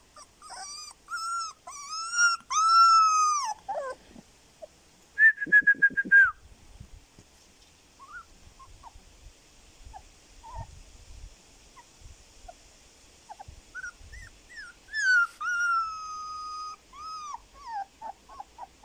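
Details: Male Siberian husky puppy, fawn-and-white with blue eyes, born 25 September 2020 at a Moscow kennel, recorded mid-October: high whistled whimpers with falling tails, a burst of rapid squeaky yips, scattered soft squeaks, then more drawn-out whining cries.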